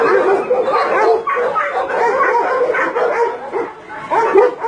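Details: Meat farm and puppy mill dogs in Nonsan, South Korea, January 2017, about 150 animals including Chow Chow and Shar Pei, producing a steady mass of overlapping barks and yelps.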